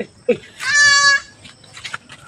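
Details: A pet goat in labour, giving birth, gives one loud, sustained bleat lasting under a second, steady in pitch and richly harmonic, followed by people talking nearby.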